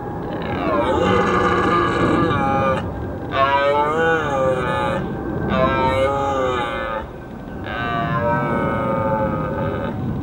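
A red deer stag roars in the rut, a series of long, harsh, wavering bellows.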